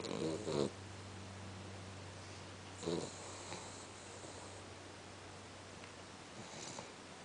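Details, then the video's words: Cavalier King Charles Spaniel Winchester sleeping after a long walk, with two rough snorting snores about three seconds apart, then quiet breathing and a faint steady hum. "Cavalier King Charles snore&dream"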